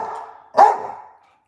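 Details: A Staffordshire Bull Terrier barking at the camera lets out one abrupt, punchy bark with a hard onset and a quickly fading tail, after a softer, lower sound trails off.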